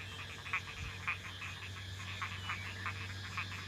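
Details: A chorus of frogs calling densely across a rice field at dusk, after rain fell all day and night, with short, raspy croaks overlapping from many callers in quick succession.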